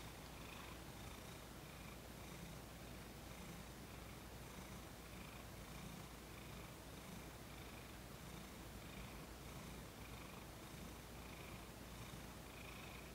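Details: Thomas, a domestic cat, purring during his first massage after 18 days with a new owner, calm and cooperative; a steady low rumble pulses in regular cycles about every second, with a faint hiss throughout.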